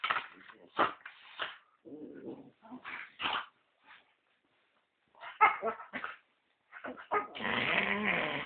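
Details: American Staffordshire Terrier pups, including a red-nose pup, making rough dog vocalizations: short bursts of growling, yelps and barks separated by brief pauses, ending in a sustained, noisy growl.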